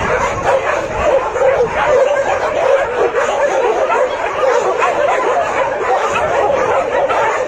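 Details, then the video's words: Shelter dogs welcoming visitors in a crowded, continuous wall of barking, rapid yaps and higher yips layered over one another with steady loudness from start to finish. "روحنا ملجئ كلاب ... شوف الكلاب استقبلتنا ازاي"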